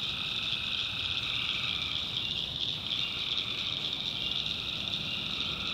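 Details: Tree frogs calling at night in the backwoods of North Carolina, a dense unbroken chorus of high trilling calls, with a fainter lower band of calling underneath throughout.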